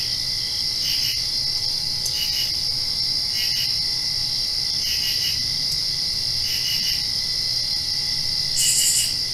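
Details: Crickets at night right after rain: an unbroken high trill carries a second caller's pulsed triple chirps repeated roughly every one to two seconds, about six bursts, plus a short louder buzz near the end.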